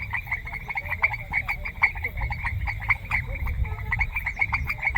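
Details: In a semi-humid grassland, frogs give quick rattling croaks in overlapping series, a few louder individual calls standing out above the steady chorus, with noticeable low-pitched rumble underneath.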